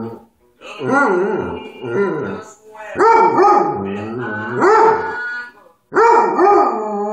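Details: Pet dog howling along to Hank Williams music: drawn-out, wavering, rich-toned howls rising and falling in pitch, delivered in four or five phrases separated by brief pauses.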